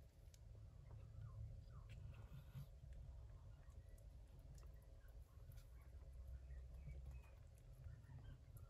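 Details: Yupi, a gray shorthaired Persian Chinchilla mother cat, tends the kittens she bore during a typhoon in early September indoors; a low, continuous rumbling purr fills the bass throughout, with faint soft ticks and rustles above.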